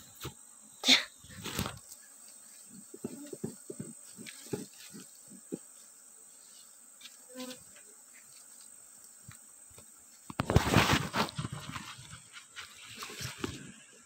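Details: Asian honey bees (Apis cerana) in Borneo buzz their wings in low, droning bursts against a steady high insect whine.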